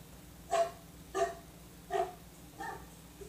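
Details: A dog, its bark likened to a pitbull's, lets out four gruff single barks spaced roughly two-thirds of a second apart, with a faint constant hum underneath.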